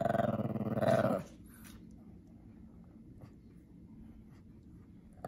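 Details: An angry male Pekingese named Winston growls over his toy mouse indoors. One sustained, gravelly, low growl lasts about a second before it cuts off. Only faint background hum and small rustles follow.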